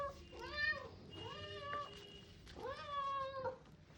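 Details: Orange cat indoors, being offered food, gives three clear meows about a second apart, each rising then falling, with a woman's voice talking nearby.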